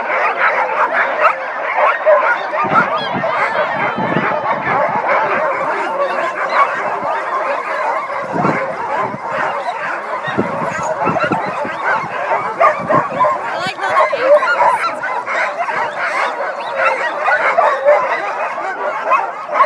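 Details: Sled dogs singing together, a dense, continuous chorus of many overlapping voices: harsh yips, barks and wavering cries blending into a steady wall of sound with scattered sharper bursts throughout.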